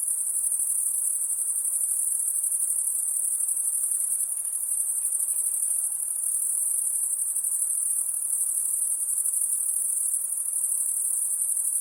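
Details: High-pitched insect sound at night, an unbroken shimmering trill at constant loudness, with a couple of faint soft clicks near the middle.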